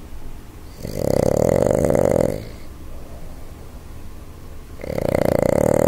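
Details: Boston Terrier named Jumpin Jack Flash, also called Jackie Chan, snoring loudly while asleep indoors: long rasping buzzy snores lasting over a second, separated by quieter pauses.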